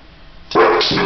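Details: Nita, a pet dog, barks at its own reflection in a mirror. After a quiet start comes a loud, harsh bark, followed straight away by a second, lower bark.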